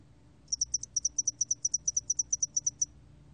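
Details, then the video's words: Spotted-wing hairy cricket, recorded for Korea's National Institute of Biological Resources in 2020, gives a steady series of about twenty sharp, very high pulses, mostly doubled, lasting around two and a half seconds against quiet background. "점날개털귀뚜라미, 여러번 듣기, 곤충소리"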